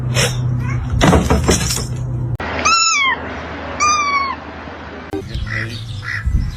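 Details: A pet cat gives two short, high meows about a second apart, each bending up then down, with a person talking nearby and some indoor noise.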